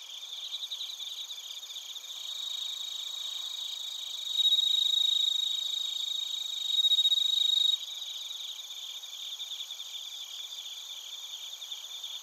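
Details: Bell crickets and other crickets from Narita, Chiba, Japan, on a TASCAM Portacapture X8: a close caller's pure, bell-like ringing trill stands out twice for about a second and a half each, above a dense, fast-pulsing high insect chorus.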